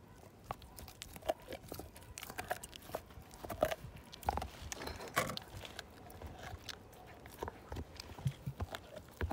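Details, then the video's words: Siberian Husky named Slim chewing a bone: dense, steady crunching and grinding, many overlapping cracks and snaps in quick irregular bursts throughout, fuller and louder than quiet gnawing. "My Husky Tear This Bone Down To Nothing!"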